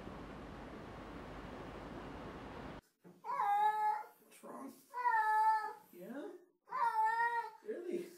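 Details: Domestic cat around water giving three drawn-out, harmonic meows about two seconds apart, each slightly wavering then falling at the end, after nearly three seconds of steady hissing noise like running water.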